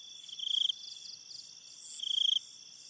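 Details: Crickets calling at night in an enchanted-forest setting: high, thin pulsed trills in two bright bursts, with fainter quick chirps between them over an otherwise quiet background.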